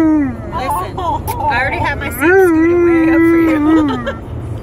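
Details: Alaskan Malamute in a car on a road trip, a sustained wavering howl rising then holding steady before dropping, with softer whines earlier and road noise throughout.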